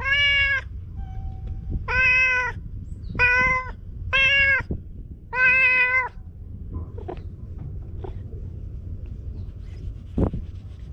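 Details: Stray cat at a fishing spot by blue sea and sky in Japan, GoPro recording: four loud sustained meows in quick succession, each about half a second long, then quieter clicks, taps and soft background noise.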